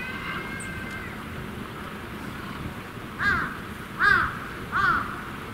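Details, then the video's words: Malayan tapir at Tama Zoological Park, Japan, with a parent and young present, giving three short high-pitched squeaky 'pee' cries in the last seconds, each arched and rising then falling, after an earlier faint thin whistle-like tone. "ピーピー鳴くマレーバク/"Pee! Pee!" Crying Malayan tapir"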